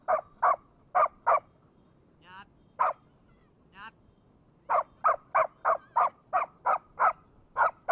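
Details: Rapid barking from a Labrador holding a brick: four quick barks, a pause broken by two thin squeaky notes and one bark, then a long steady volley of barks at an even pace.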